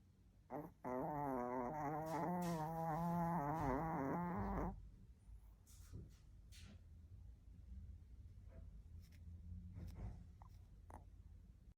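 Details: Asleep, a Chihuahua lets out a drawn-out, wavering, raspy snore of about four seconds, low and throaty, followed by a quiet room with faint soft rustles and small clicks.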